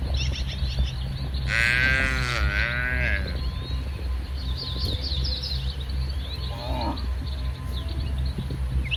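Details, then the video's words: Domestic cattle, a tame herd grazing in a wide green rice field on a sunny morning, give one drawn-out, wavering low moo with rich harmonics lasting about two seconds; birds chirp throughout over a steady low engine-like hum. "Suara Sapi Moo"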